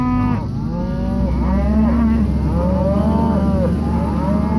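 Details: Red Angus pairs in Kansas lowing nearly continuously. Long harmonic moos slide up and down in pitch, with several cattle calling over one another above a low background drone.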